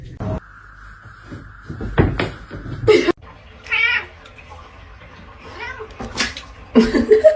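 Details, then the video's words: Kitten giving a few short, wavering meows indoors, mixed with people talking and laughing, plus thumps and brief handling noises. "kitten meowing cute"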